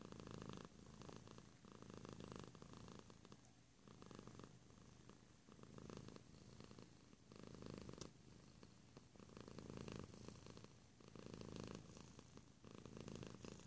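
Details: Soft, continuous purr of a cat heard close: a low, even rumble with gentle rises and falls every couple of seconds, fairly quiet throughout.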